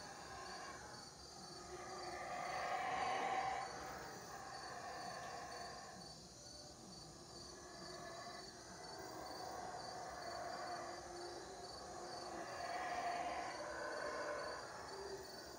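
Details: Howler monkeys in the Belize jungle at Teakettle, Cayo, give loud, deep, breathy roars that swell and fade in drawn-out surges of a few seconds each, over a constant high insect buzz.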